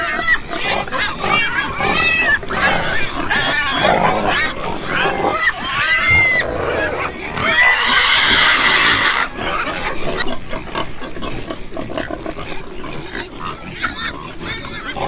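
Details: Group of farm pigs giving rapid, irregular grunts about three per second, with a longer high squeal near the middle before settling back into low snuffling oinks.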